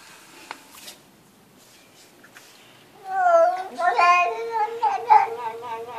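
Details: A domestic cat making a human-like talking vocalization. Near silence with faint clicks comes first, then a wavering, drawn-out harmonic meow with shifting pitch runs through the final three seconds in a quiet indoor setting.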